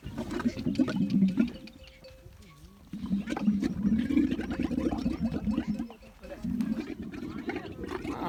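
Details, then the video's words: Camel in the desert with its tongue out, making strange noises: low, rough, gurgling rumbles in long bursts, a quieter gap near the middle with a faint wavering tone, then the throaty rumbling resumes. "Camel Making Strange Sounds With Tongue Out | Crazy Camel Noises in the Desert"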